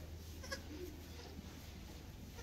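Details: 36-hour-old mini silky fainting goat kids give short, thin bleats over a steady low hum.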